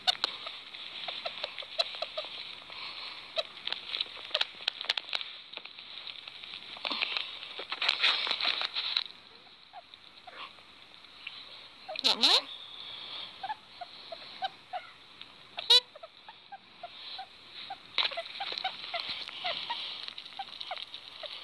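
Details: Sugar gliders at supper time, being fed chicken, give quick, squeaky chirps and clicks of contentment over steady rustling and munching.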